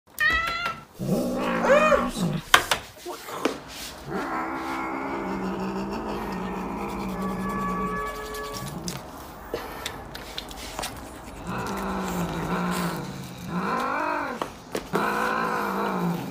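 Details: Cat stealing food from its owner and growling, with drawn-out wavering moaning growls rising and falling in pitch, several long harmonic cries separated by brief clicks and knocks.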